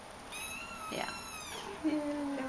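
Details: Shaded golden Persian kitten from the I litter, indoors with its mother Sahara while playing: one long high meow with stacked harmonics, falling at the end, overlapping a person speaking softly.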